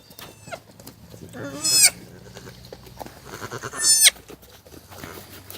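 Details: Newborn pygmy goat kid, about 20 minutes old, born on a family farm on February 27, 2015, on a cold day; two high, thin, quavering bleats about two seconds apart, with faint rustling and quiet human voices.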